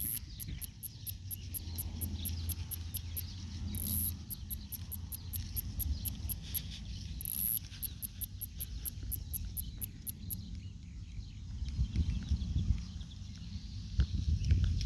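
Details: Snore-like song of a male northern snoring cicada, Kikihia cutora cutora, in New Zealand: rapid high ticking, a few per second, with two short louder buzzes, stopping after about ten seconds above a low rumble.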